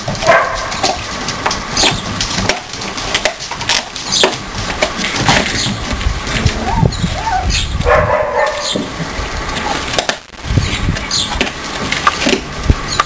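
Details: Siberian Husky puppy, four weeks old, play fighting with littermates; rough little growls, yaps and a short high whine at about eight seconds, over a constant rustling background.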